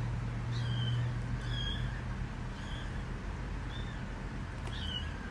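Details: Scottish Fold cat. A Scottish Fold cat makes brief, high-pitched mews, each a quick squeaky note repeated about once a second. A steady low rumble of room noise sits underneath throughout.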